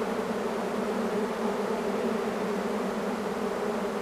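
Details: Honey bees of a large swarm moving in produce an unbroken, level droning hum, thick and steady, with the buzz of many wings blending into one tone.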